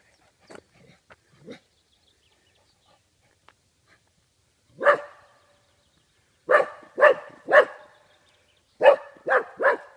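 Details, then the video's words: Golden Cocker Spaniel barking, frightened by cardboard cutouts in Dalby Forest, Yorkshire: a few faint soft yelps, a quiet pause, then sharp mid-pitched barks in pairs and triplets toward the end. "Golden Cocker Spaniel Dog barks at cardboard cutout"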